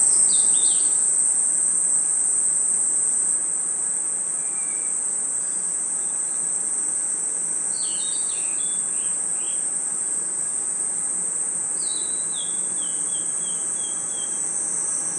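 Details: Crickets and other insects chirping at night in a forest: a dense, unbroken high-pitched shimmer runs throughout, while short descending whistled notes from another caller break in near the start, around eight seconds and again near twelve seconds.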